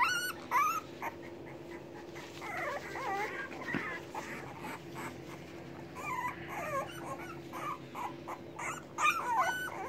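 A litter of English Bulldog puppies whimpers and whines with hunger, waiting to be fed by their mother.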